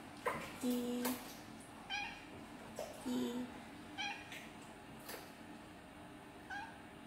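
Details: White male pet cat that responds when his name is called, indoors: two drawn-out, low, steady meows about two seconds apart, plus several shorter, higher chirping calls, with a person's voice calling him.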